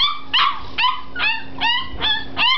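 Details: Five-week-old Springer Spaniel puppies give high, whining yelps, six in a row, each bending down in pitch and coming roughly every 0.4 seconds, with a faint steady hum underneath.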